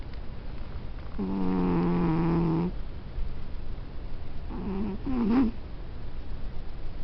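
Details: Domestic cat snoring: one long, steady, buzzy drone of about a second and a half, then after a pause a shorter, wavering snore that wobbles in pitch.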